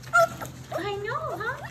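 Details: Puppies from a German Shepherd, Labrador and Rottweiler mix litter whine in wavering, rising and falling tones after a brief high squeak at the start, while a woman speaks softly to them in greeting.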